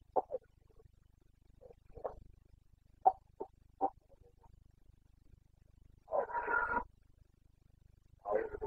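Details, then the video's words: Wild Carpathian red deer stag roaring in the Bucovina mountains in the breeding season, September 2022: several short grunting bursts, then a longer rough roar lasting about a second and another starting at the end. "Boncănit / Carpathian stag Breeding season"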